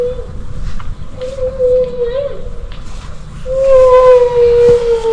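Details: Humpback whales recorded underwater by hydrophone in southeast Alaska give long, steady, horn-like tones as they talk to each other during bubble-net feeding; the sounds change just before they surface.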